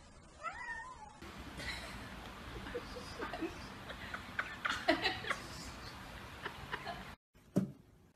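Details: Cat in a compilation of sweet, funny cats, giving one short meow that rises and falls near the start. Rustling and handling noise follow, then a brief silent break and a faint sound at the end.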